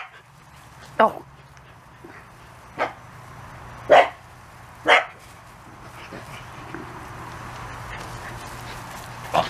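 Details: Corgi puppies, 34 days old, playing outside for the first time: five sharp, high yips at irregular intervals of one to two seconds over a steady low hum, with quiet gaps between.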